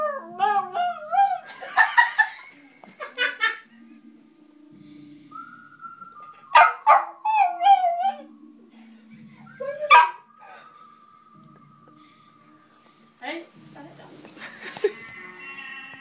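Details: Dog howling along to the film score of The Good, the Bad and the Ugly; the music's warbling whistle phrases and long held tones alternate with the dog's rising, wavering howls, with low background music throughout.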